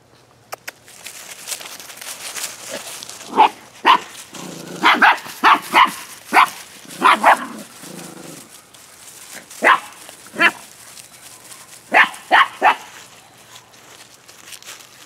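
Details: Rescue puppies in November letting out short, sharp, high-pitched barks, singly and in quick clusters spread across the recording, with quieter scuffling and whimpering between them.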